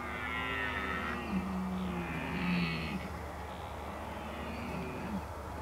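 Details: Rutting red deer in the Oostvaardersplassen, Netherlands, 15 October 2011: short, low, level bellowing calls in broken bursts, set against a deep rumbling background noise.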